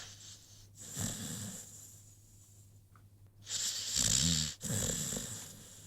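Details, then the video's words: Rocky, a sleeping American Pit Bull Terrier, gives soft breathing, then louder rattling snores with a low vibrating drone and airy hiss, each a second or so long. "CUTE AMERICAN PITBULL Sleeping‼️ Rocky snoring"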